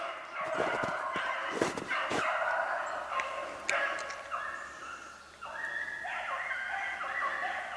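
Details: Beagles hunting snowshoe hare on 8 March 2016. Overlapping drawn-out howling bays from several dogs, with sharp clicks and brief rustles in between.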